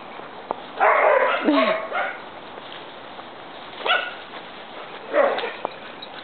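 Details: A big dog and a little dog play together, with a long rough growling bark burst lasting about a second, then two shorter yipping barks a few seconds apart, and quiet human talk in the background.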